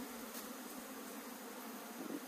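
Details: Honey bees in a hive opened by beekeepers in Puning, Guangdong, China, where grass had got inside: a steady, low droning hum with an even overtone band and no breaks.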